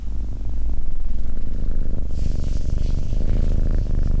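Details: Domestic cat purring steadily: a deep, continuous rumbling hum with a fine rapid pulse, growing slightly louder after the first second and holding even to the end.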